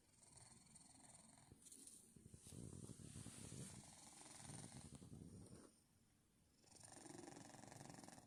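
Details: Domestic cat resting on a person's legs, snoring: a rough, buzzing, rapidly pulsed rumble that swells over several seconds, pauses briefly, then resumes, with a faint high hiss in the background.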